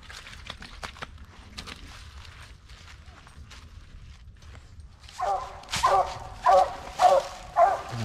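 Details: Mountain Cur on a squirrel hunt at the last hour of daylight near black walnuts and hickory flats, treeing: footsteps and rustling in woods, then a run of five loud, sharp barks about every half second in the closing seconds.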